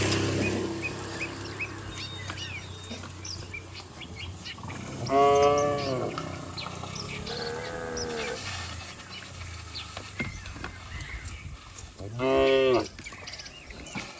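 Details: Village cattle herd running and jumping down a green hill; two loud drawn-out moos and a softer one between them stand out against a low rumbling background.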